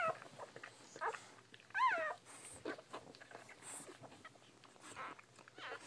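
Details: Bull Pei puppies giving a high, wavering whine that rises and falls in pitch near the two-second mark, amid softer squeaks, snuffles and shuffling sounds in a quiet room.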